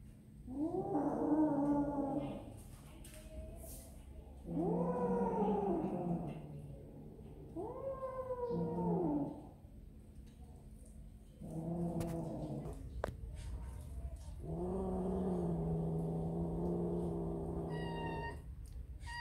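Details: Kittens eating snacks give five drawn-out, harmonic meows, several with a wailing caterwaul quality, each lasting one to two seconds with short pauses between, plus a faint chirp near the end.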